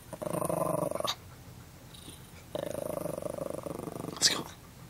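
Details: Pet dog guarding his dog food bag, even an empty one, with low pulsing growls in two bursts of about a second each, separated by quiet, and a faint click near the end.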